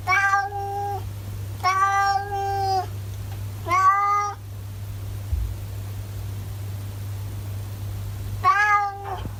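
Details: Ginger tabby domestic cat in Japan, 'talking' indoors: four drawn-out, richly harmonic meows spaced about two seconds apart, then a pause before a final meow. No other clear sounds, only a steady low hum underneath.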